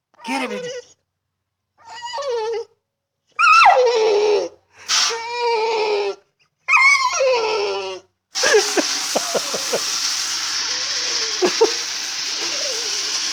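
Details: Female pet dog whining because she cannot get to the water she likes to chomp on: a run of high, wavering whines and yelps, then a spell of rushing water noise with short squeaks.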